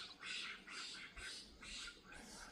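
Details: In the evening after sunset, at the edge of a riverine forest, gray langurs squabble over position with harsh, raspy screeches repeated about twice a second.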